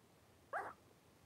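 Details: Three-week-old Blenheim Cavalier King Charles Spaniel puppies, a litter of five, wrestling and playing in a home puppy pen; one short, high yelp bends up and then falls away in a fraction of a second against a quiet room.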